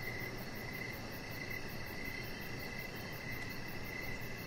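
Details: Outdoor evening cricket chorus near a deck, a chihuahua puppy lying out with decoration lights on; short repeated chirps come in regular bursts, a fine high trill runs steadily, and broad low hiss fills the background.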